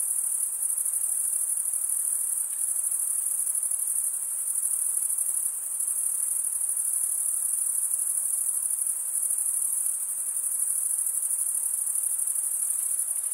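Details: A continuous, shrill, buzzing trill of stridulating male crickets fills the recording, steady in pitch, with a few small dips in loudness and a soft noise bed below.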